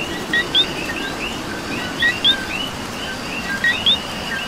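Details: In Puerto Rico, coquis call amid rainfall, about three clear double notes, each a clipped low chirp and a sharp rising whistle, over a busy background chorus of distant frogs and soft pattering rain.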